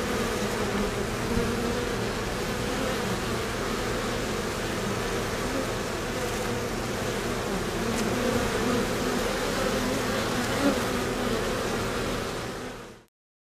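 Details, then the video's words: Bees lined up in a row at the hive entrance, fanning to cool the hive. A dense, steady droning buzz with a low hum runs unbroken throughout, then cuts off abruptly at the end. "Bees Cooling Hive Entrance"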